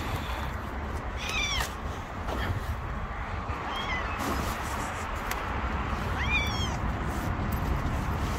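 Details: Hungry stray cat living on the street, hidden behind shields, crying for food; three short rising-falling meows spaced a few seconds apart over steady low traffic-like rumble.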